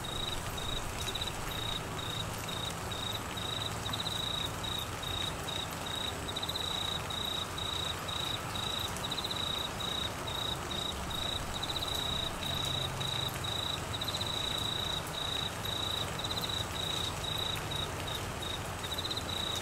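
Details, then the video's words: Crickets in Queensland, Australia, during the monsoon season with flooding: a steady high trill broken into short bursts, about two per second, over continuous heavy rain. "Crickets and rain Sounds"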